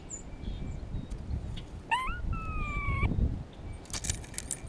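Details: Grey squirrel in spring, exchanging calls with another squirrel while a hawk is close by: a short rising yelp runs into a flat, whining note of about a second, over steady low rumbling background noise, ending with a burst of rustling.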